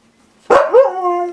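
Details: Siberian Husky at home being teased with treats, giving one sharp yelp that slides into a long, steady, harmonic howl-like moan lasting nearly a second.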